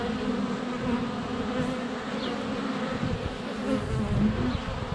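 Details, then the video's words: Bees flying in front of their hive on a sunny February day, recorded by a GoPro Hero 7 Black inches away; continuous deep buzzing with rising and falling passes and a thin bird chirp in the background. "Honey Bees - ambient video and audio"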